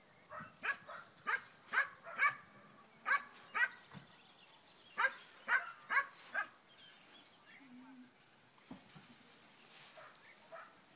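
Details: Black German Shepherd working a tracking exercise in puppy training: a run of about a dozen loud, punchy barks in quick, uneven succession over six seconds, then near silence with faint handler speech and small outdoor noises.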